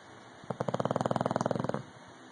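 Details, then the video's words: English Bulldog Rocky snoring loudly, a single rattling snore of about a second and a quarter made of rapid pulses, fluttering like a purr, over a faint steady hum. "English Bulldog Rocky snoring..... Loud"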